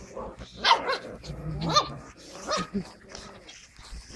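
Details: Skye Terrier puppies on 5 June 2016 give high, squeaky yapping barks in short bursts, several overlapping. Faint rustling and handling noise fill the background.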